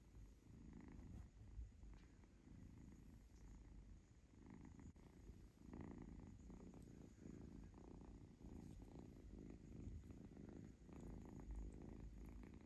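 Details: Kitten Zlata, a pet being petted and scratched on her tummy, purrs contentedly; continuous low vibrating rumble rising and falling with each breath, faint handling noises.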